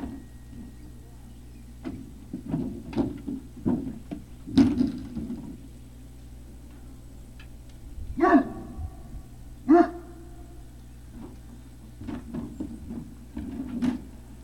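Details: Great Dane puppies at Puppy Hill, 3 May 2019 around 17:06, indoors: two sharp, loud barks stand out mid-recording, with scattered softer yelps, thumps and shuffling before and after over a steady low hum.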